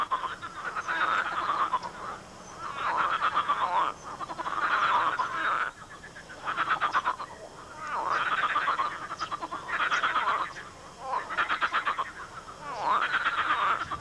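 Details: Large frogs croaking loudly in a swamp, possibly in mating season: dense pulsed croaks in bursts of about one to one and a half seconds, several callers overlapping in a steady rising-and-falling chorus.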